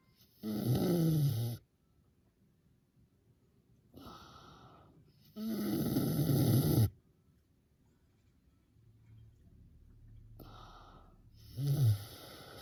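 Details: A sleeping miniature pig snores like an old man. Loud, rough, low rasping breaths come in three bursts about five seconds apart, with quiet pauses between; the last is a shorter snort.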